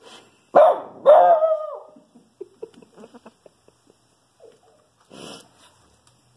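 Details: A Shih Tzu indoors barks at a squirrel outside, giving two sharp, high barks, the second stretched into a falling whine.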